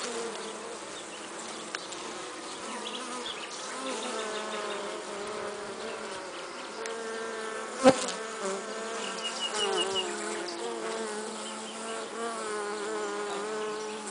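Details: Pollen-laden honey bee buzzing: layered, slightly wavering hums hold steady for the whole stretch, broken once midway by a single sharp click.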